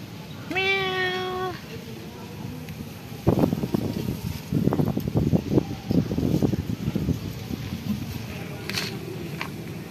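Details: Timid black male cat living at a pagoda, still wary of the person feeding him and speaking softly; one drawn-out, clear meow near the start, followed by irregular clicking and tapping sounds and light background hum.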